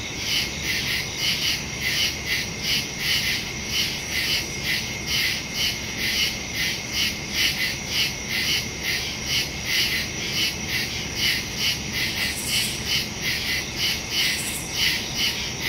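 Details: Woodland crickets at night, September 2, 2023, recorded by Samsung Galaxy S22 Ultra phone with Shure MV88+ stereo mic; continuous high-pitched pulsing chirps, quick and rhythmic, with brief brighter hiss bursts near the end.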